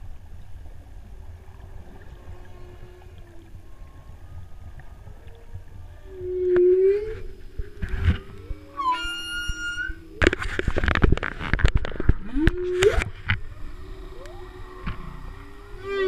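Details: Humpback whale song of low moans and rising whoops, with squeals and harsh bursts over a steady underwater hum, heard while freediving off Hawaii's Big Island during the spring equinox solar eclipse, 2015.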